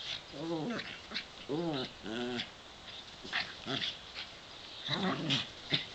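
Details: Two pet dogs, a brown one and a white one aged 7 and 8, playing in a sunny back yard; several short harmonic whines and yelps in bursts, some arching in pitch, with scuffling and faint hiss between.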